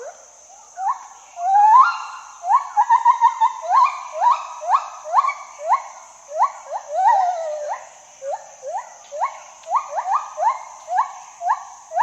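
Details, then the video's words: Gibbon calling in a long run of short, sharply rising whoops, each sweeping upward then dropping away, repeated about every half second to second for twelve seconds, over a steady high electronic whine. "GIBBON SOUND EFFECTS - Gibbon Call and Noise"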